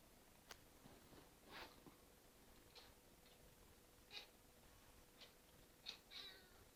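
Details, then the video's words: Red Point Ragdoll cat named Cinnamon calling at a bug: a series of short, clipped, high chirps and clicks spaced irregularly over several seconds, some with quick upward flicks, above a low steady indoor hum. "Cinnamon, making funny noises at bug, Red Point Ragdoll"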